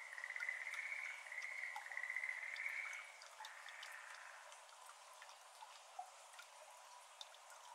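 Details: Schlegel's green tree frog, a Japanese endemic, recorded 17 May 2022 in the evening at a water-filled iris garden; rattling pulsed trills for three seconds, then the frogs fall silent and only soft water drops are heard.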